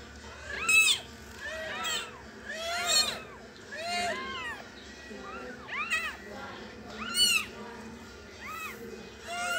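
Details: A one-day-old kitten giving repeated high, thin, arching squeaks, about one each second, several cries overlapping in places over a faint hiss.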